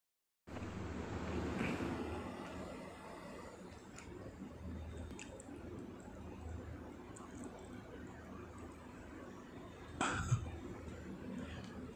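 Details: Quiet room tone with soft rustling and a brief thump near the end; no animal voice is heard.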